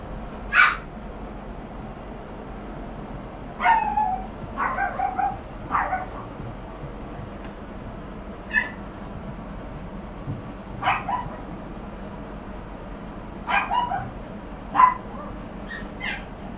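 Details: Chihuahua giving short, sharp high yips and small barks, single or in quick pairs, spaced irregularly every few seconds over a steady background hum.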